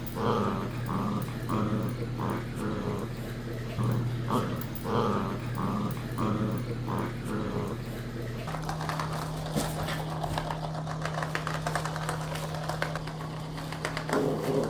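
A miniature dachshund puppy gives a run of low, rhythmic growly grumbles over a steady hum.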